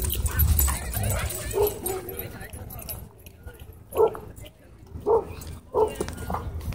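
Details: Dogs at a dog park during a fight in which a small white dog launches at and bites a German Shepherd; short barks at uneven intervals over a low rumble of background noise and voices.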